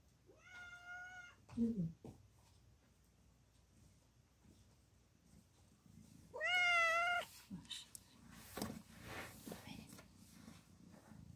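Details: Mother cat in labour, giving birth to four kittens indoors, lets out two clear, sustained meows about six seconds apart, with a low grunt and a human voice speaking softly in between and afterwards.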